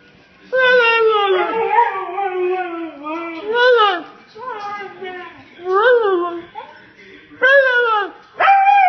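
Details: A talking husky yelling like a human: a series of loud, wavering howl-like vocalizations with rising and falling pitch, several drawn-out bursts separated by short pauses, sounding almost like speech.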